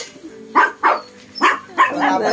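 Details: Shih Tzu and Belgian dog in a confrontation, the small dog said to be brave; four sharp, mid-pitched barks spaced roughly a third of a second apart, the last one trailing into a rougher sound.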